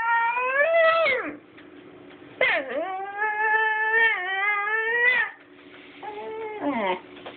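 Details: Basenji puppy, a non-barking dog, producing odd vocal sounds: drawn-out warbling whines that sweep down then rise and hold, three long phrases with brief pauses, over a steady low hum.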